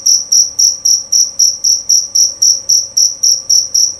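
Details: Shrill, ringing chirps from a male jerabang cricket, evenly spaced at about four per second, each pulse swelling and then cutting off, over a faint steady hum.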